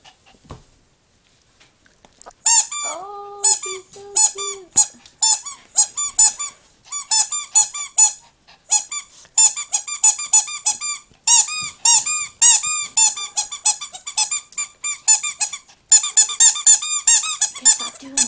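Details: Female Chihuahua puppy indoors with a child: long run of shrill, thin squeaks and whimpers in quick bursts, nearly continuous from the third second on, with a short lower wavering whine near the start.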